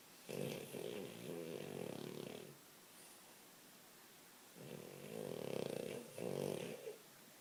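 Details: French Bulldog snoring in its sleep while dreaming: two long stretches of loud, gravelly, vibrating snores split by a quiet breath pause.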